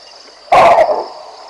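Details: In the African bush along the Olifants River, baboons bark at a passing lion. One abrupt, rough, loud bark with a short double pulse, set against a faint continuous high-pitched insect drone.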